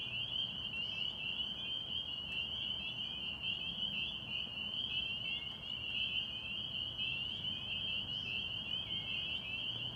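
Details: Springtime chorus of spring peeper frogs at a pond in Massachusetts, many callers overlapping in a continuous high-pitched ringing drone, a few notes dipping slightly lower, over faint low background noise.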